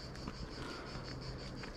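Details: Cicadas along a hiking trail by the Aveyron river in Tarn-et-Garonne, France, in summer: a steady, high, continuous buzzing drone, over low rumbling from footsteps and handling.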